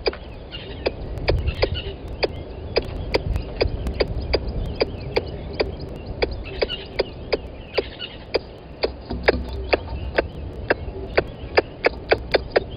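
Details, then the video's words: Squirrel calling close to the microphone of a live camera at Gowrie dam waterhole, Djuma Game Reserve, Sabi Sand Wildtuin, South Africa, at 10:41 on 12/09/20; sharp clicking chucks repeated about three times a second, steady throughout, over low background rumble. "Squirrel on the mic calling"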